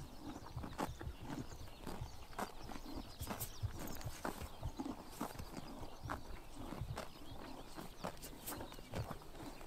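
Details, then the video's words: Horses biting grass under the morning sun in summer in Mongolia: a steady run of sharp, crisp tearing and crunching snaps, several per second, over a low rural outdoor background. "The sound of horses biting grass in the morning sun"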